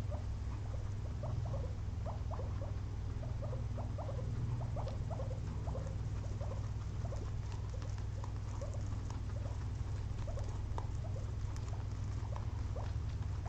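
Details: Two pet guinea pigs napping after a long day of munching frozen blueberries; a run of short, soft squeaky chirps repeats quickly through the first seven seconds, then thins to sparse faint clicks over a steady low indoor hum.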